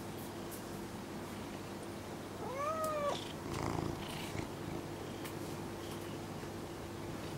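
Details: Indoor domestic cat, upset by another cat's unblinking stare, comes to its owner to complain: one drawn-out meow that rises then falls, lasting under a second, over a steady low hum with soft rustles afterward.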